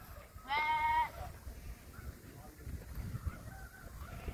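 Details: Farmed goat among many kept goats fed Napier grass, giving one clear harmonic bleat about half a second long, slightly wavering, followed by quieter background murmur and faint distant calls.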